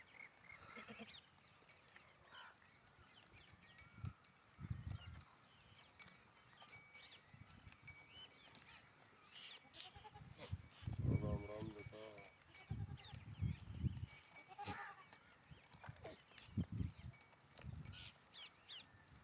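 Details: Sheep and goats on a farm, bleating in several wavering, quavering calls scattered through the recording, the loudest near the middle; birds chirp faintly overhead and a person speaks briefly.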